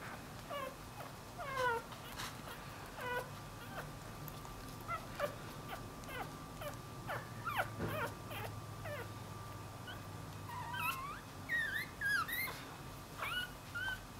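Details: Newborn Dachshund-Jack Russell cross puppy separated from its mother gives scattered thin high whimpers and squeaks through the recording, with soft clicks and handling noises between them and a louder cluster of whines near the end.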